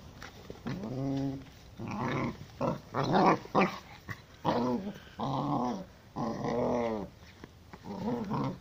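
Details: Humphrey, a Gordon Setter, indoors in a small room, making a run of drawn-out harmonic growling whines and moaning vocalizations in separate bursts about a second long, rising and falling, with brief pauses between them.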